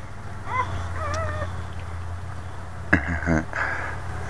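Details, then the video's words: Boxer mother with her new puppies indoors; a few thin wavering whimpers early on, then a sharp knock and a brief murmur of a woman's voice over low room hum. "Our Boxer Cry Cry Baby with her new puppies"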